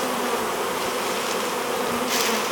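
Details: Honey bee swarm being hived: short burst of dense, even buzzing with a brief louder hiss-like swell near the end.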